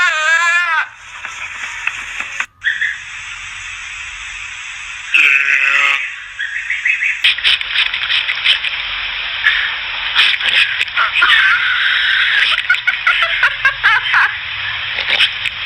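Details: Goats give short, quavering bleats while begging for popcorn, over a loud rustling, clattering background.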